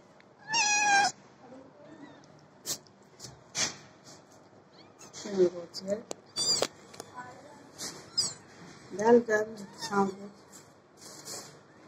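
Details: House cat with a strong opening meow, followed by a string of shorter meows and chirps mixed with a person talking softly nearby in a small indoor space.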